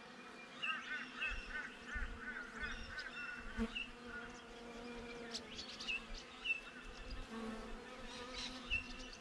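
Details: A dense, steady hum of many western honey bees droning together outside a beehive, with faint chirps of birds behind.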